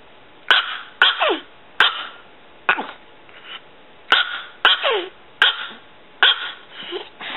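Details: Small female Chihuahua named Pulga, six years old and under 3 pounds, barking in short shrill yaps roughly every half second to second, some barks sliding downward in pitch, with quiet gaps between.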